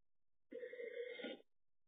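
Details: Stanley, a former stray tomcat of about six or seven years, calls in a single drawn-out meow lasting nearly a second, steady and nasal, with no other sounds around it.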